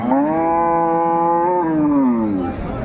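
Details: Loud, sustained lowing from a dairy cow at Ambari haat, Bangladesh, on 21 May 2024 during cattle trading: a steady, rich-toned moo of about two and a half seconds that drops slightly in pitch at the end, with little other noise.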